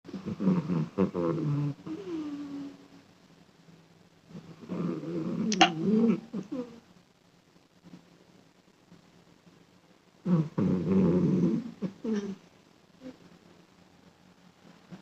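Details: A sleeping cat snores in low, rough, rattling breaths, each lasting about two seconds. The breaths recur every four to six seconds, with quiet spells in between.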